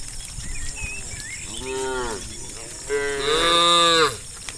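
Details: Tame cattle herd walking from fields to the farm pen; two loud harmonic moos, the second longer and stronger, over faint bird chirps and a constant high hiss.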